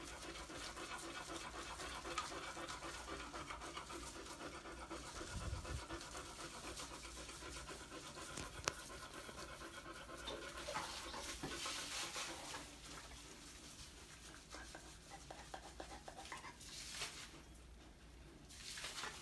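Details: Beagle panting steadily, a fast run of soft breathy hisses at nearly four per second, spread as broad noise, with quieter rubbing and shuffling sounds near the end.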